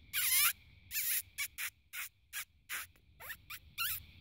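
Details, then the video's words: Fox in the spotlight at night giving sharp, hoarse barks, some with a downward-sliding tone, spaced irregularly with short silences between. "Barking Fox"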